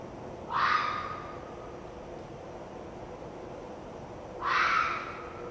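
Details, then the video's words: Two raspy, drawn-out screams from a red fox vixen, harsh and hoarse with an abrupt start, separated by about four seconds of near silence with faint background hiss. "Red Fox vixen's scream"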